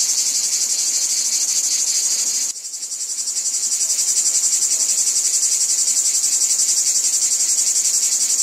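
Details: Steady high buzzing chorus of cicadas in a wheat field, rapidly pulsing; a sudden drop in loudness partway through, then the drone gradually builds back to full strength.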